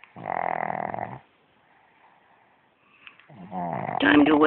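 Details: A pug lying in bed, apparently awake with eyes open, gives a long, emphatic rattling snore as if to avoid getting up, followed by a person speaking.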